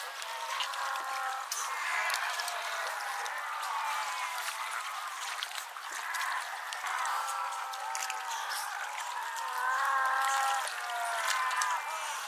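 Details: A dense chorus of Cape fur seals at Pelican Point near Walvis Bay, Namibia, on 18 July 2012, bleating and bawling calls overlapping without pause.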